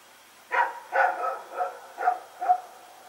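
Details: Rex and a second dog barking while running around at night, Sep 21, 2018, Pyrga; a brief run of five rough, harmonic barks close together, some slightly drawn out, against a quiet backdrop.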